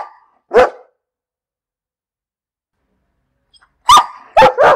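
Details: One sharp dog bark, a few seconds of silence, then three quick barks in a row, the first with a short whine-like tone.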